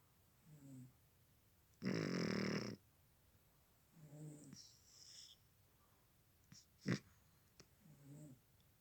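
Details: Sleeping cat snoring indoors: soft, low rasping breaths repeat every few seconds, with one louder burst of broadband rustling noise and a brief sharp click in between.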